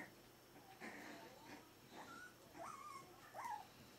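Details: Whining four-week-old Berger des Pyrénées à face rase puppies: thin, high tonal whimpers that rise then slide down, three in a row over four seconds, faint rustling underneath.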